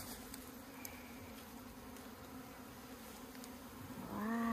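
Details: Honey bees droning from an opened hive in the hills of Meilin, Puning, Guangdong, a steady low hum with a faint higher overtone, holding level for about four seconds before a human voice cuts in at the end.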